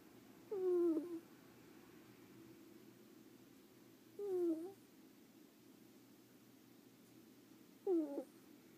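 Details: Leo, a pet ferret, snores while asleep: three brief squeaky snores, each falling in pitch, spaced roughly four seconds apart over a faint steady indoor hum.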